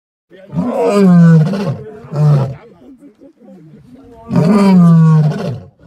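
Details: Lion. A lion cub roars in three bursts, each a throaty, moaning call that sags downward before fading. Between the calls come softer, rough grunts and rustling.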